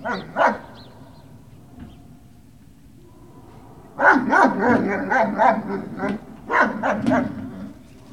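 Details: Great Dane puppies on November 18, 2018: a pair of sharp yips, a few seconds' pause, then a rapid run of overlapping high whining yelps and squeals, several per second, fading at the end.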